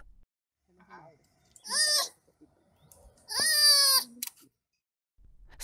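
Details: Zoo sloth giving two loud, high, bleating calls, each lasting under a second and rich in bright overtones, separated by a short pause, with brief faint background noise between them.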